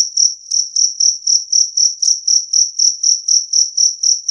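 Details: Shrill, ringing chirps of a two-spotted cricket, evenly spaced at about four per second, some seventeen in a row against silence.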